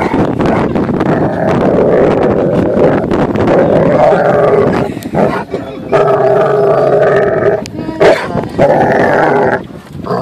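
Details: Dog throwing a temper tantrum on a boat when it is time to leave the water and go home; drawn-out, wavering whines and howl-like moans with steady tonal bands, mixed with people talking and laughing nearby.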